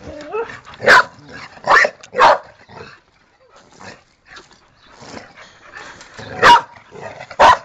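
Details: Pet dog Tera barking in bursts, three loud barks early and two late, with whining and a woman's Spanish chatter filling the gaps.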